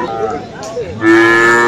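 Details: Cattle at Aftabganj haat livestock market in Dinajpur on 21 February, where Friesian and crossbred bull calves are sold. Crowd chatter first, then a loud, sustained, steady-pitched moo.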